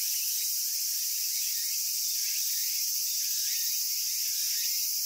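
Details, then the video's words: Continuous high, hissing cicada buzz from Japan, even and unchanging in loudness, with faint short chirps and rising notes blurred into the background. "Cicada Sounds and Cicada Songs"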